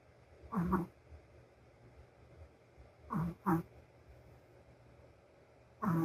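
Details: Sleeping female Shih Tzu snoring: short rasping bursts of breath at uneven gaps, a lone snore, then a close pair, then another after a long pause, over a quiet, steady background hum.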